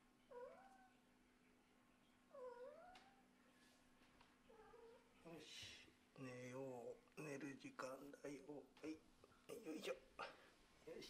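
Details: Sleepy kitten from a Scottish Fold and British Shorthair litter, carried back to bed indoors on a cold day; two clear, bending, high-pitched meows open, then a man speaks Japanese over shuffling and further cat cries.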